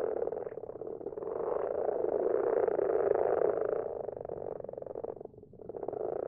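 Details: Garden-pond common frogs calling together at night: a loud, dense murmur of low rattling croaks that swells in the middle, fades toward the end, and briefly drops before resuming.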